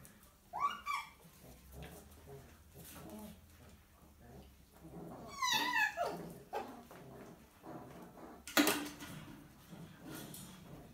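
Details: Young miniature poodle puppy, six weeks old, being disciplined by his mum; high rising whines and squeals, a cluster of yelps midway, then a loud thump-like knock and quieter murmuring.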